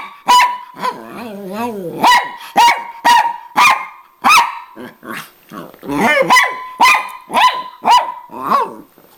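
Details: Mad Miniature Pinscher barking at her sister while competing for attention when the owner gets home; sharp barks repeated irregularly, with a wavering whine early and a scuffle of overlapping barks midway.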